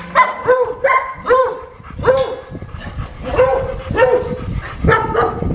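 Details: Unmanageable German Shepherd in a training session, barking repeatedly: about eight sharp, harmonic barks in quick succession, some doubled, over a low rumble of background noise.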